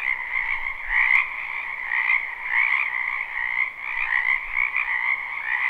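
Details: A wetland chorus of frogs in spring, recorded live without looping behind a house: thick overlapping croaks and trills forming a steady wall of sound, loudness rising and dipping gently roughly every second or two.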